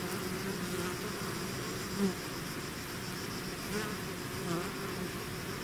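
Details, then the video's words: A bee swarm outside its hive hums continuously; a few individual bees fly close, each giving a short, louder rising-and-falling buzz over the steady drone. "bees therapy swarm natural buzzing sound"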